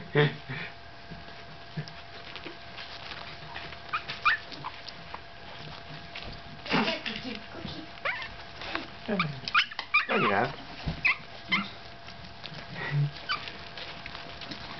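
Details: Staffordshire Bull Terrier puppy aged 15 days, giving thin rising squeaks and whimpers scattered through the recording, with people talking softly nearby in Swedish and English.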